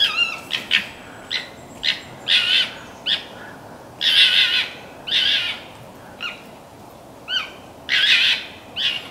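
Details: Local red fox calling at morning near Conifer, Colorado, with an unfamiliar bark: about a dozen rough, scratchy yelps in irregular bursts over nine seconds, some clipped and short, others longer and grating, with no other clear sounds.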